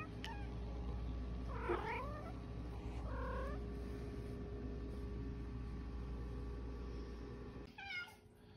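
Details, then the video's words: A female house cat famed as the OK Cat meows her "okay"-like call three times, each a brief wavering harmonic cry with a rising then falling shape, separated by long pauses over a constant low electrical hum. "Talking Cat Says Ok"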